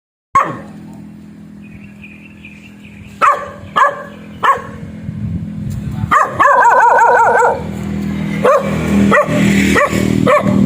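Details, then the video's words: Black dog barking: a few sharp separate barks, then a faster run of harmonic barks and yelps with a wavering whine-like tone, growing denser toward the end. "Suara anjing hitam menggonggong"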